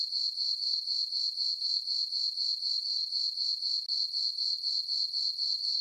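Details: Several crickets on a summer night in a farm meadow beneath a full moon, producing a bright, high, even chirping pulse near four beats per second. One tiny break occurs midway, otherwise steady.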